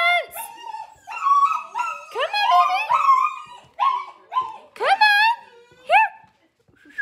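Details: Gerberian Shepsky puppies, a litter of seven, getting used to a new play tunnel indoors; high whimpers and whines that bend up and down in pitch, overlapping in short bursts with pauses between.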